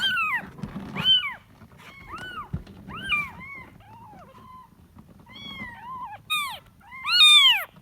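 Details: Kitten calling for its mother with quick, closely spaced mews. Some rise and fall, others slide downward. Several overlap, and the last ones grow loud and shrill.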